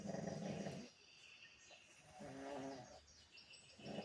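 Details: A sleeping pug snoring: three rough, low rumbling breaths with a buzzy texture, separated by quieter pauses of about one to two seconds.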